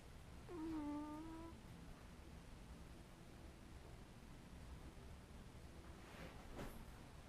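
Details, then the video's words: Sleeping domestic cat indoors making a single soft, low, drawn-out murmur with a slightly falling tone lasting about a second, then quiet rustling and a faint brief noise near the end. "Kitty Cat Sleepy Noises"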